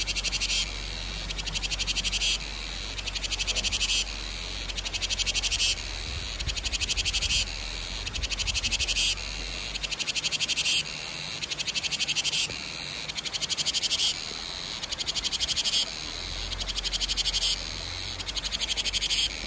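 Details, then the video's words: Summer-heralding chorus of cicadas (ve sầu): shrill, throbbing buzzes repeat in roughly two-second phrases separated by short gaps, steady and high-pitched over a soft low background hum. "Tiếng ve gọi hè | Tiếng ve sầu gọi hè"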